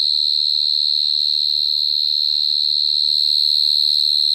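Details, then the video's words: Cricket filmed close up in 2022, a steady high-pitched shrill chirping that pulses slightly about three to four times a second without break, with only faint low background rumble beneath. "Dế kêu Cận Cảnh"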